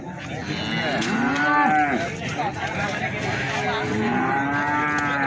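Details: Cattle for sale at Plaosan market, Magetan, Indonesia: two clear, drawn-out moos, the first rising and held for about a second, a second lower one near the end, with market bustle behind.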